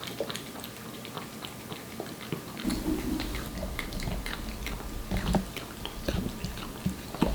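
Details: Aeppi, a Korean Shorthair cat aged one, munching wet food: dense sharp chewing clicks and wet smacks throughout, joined partway by a steady low rumble in the background.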